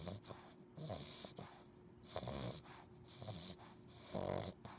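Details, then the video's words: Sleeping puppy giving wheezy, snorting snores, a few breathy rasps with a whistling, nasal quality, spaced about a second apart in a short stretch. "Cute And Funny Snoring Puppies Compilation!"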